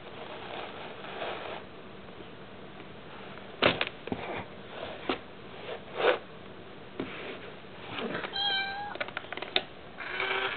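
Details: Mayu, a pet cat, seems a little disturbed by a tiny kitty in an Itazura coin bank box indoors; after several seconds of scuffling and tapping, one short, clear, tonal meow sounds near the end, followed by more rustling.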